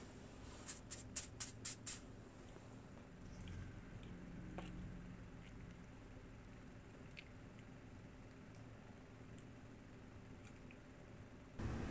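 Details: Quiet room hiss with a quick run of light clicks early on and scattered soft taps and rustles, without any animal call.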